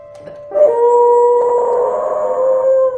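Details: A pet dog sings along with instrumental music, holding one long, steady, tuneful howl for over two seconds after a brief opening yelp, with a sustained musical note underneath.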